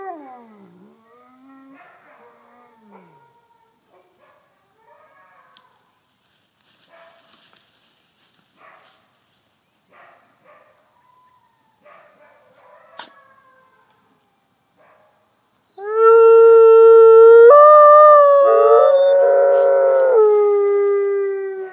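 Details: Captive female Mexican gray wolf F810 at the Wolf Conservation Center, South Salem, NY, leads a howling chorus with Arctic, Rocky Mountain, red and Mexican gray wolves: loud, long, overlapping, wavering tones.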